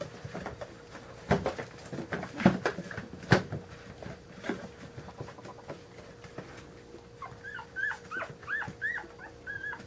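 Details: Daisy, a mother dog, waking her puppies indoors: thumps and snuffling rustles at first, then a rapid run of high, bent whimpering squeaks repeated over the last few seconds.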